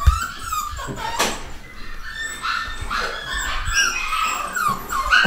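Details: Nine-week-old pedigree miniature dachshund puppies of a new litter, boys and girls, whimper and squeak in high, thin, overlapping cries.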